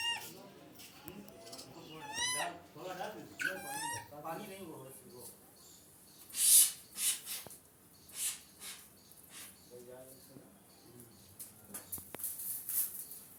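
A baby monkey gives a run of high, wavering squeaks, with people talking nearby.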